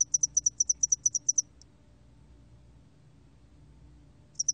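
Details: Spotted-wing hairy cricket from a 2020 recording: a quick series of about twelve sharp, high chirps ends abruptly. Near-silence follows for nearly three seconds before another pulse train begins.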